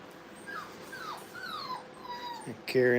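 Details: Brittany puppies at playtime in a training kennel, giving a run of thin, high whimpers that slide downward, several in a row, ending with a sudden louder burst of sound.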